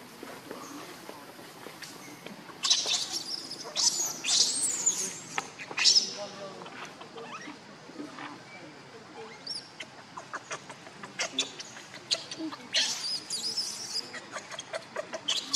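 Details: Baby monkey after a pitiful fall, giving high, thin squealing cries in clustered bursts, strongest around seconds 3 to 6 and again near 12 to 15, with quieter rustling and faint chirps in the gaps.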